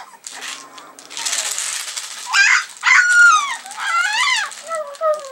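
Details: Alaskan Malamute puppies at three weeks old: soft rustling, then loud wavering whines with wobbling pitch, some sliding downward, followed by a couple of shorter, lower squeaks.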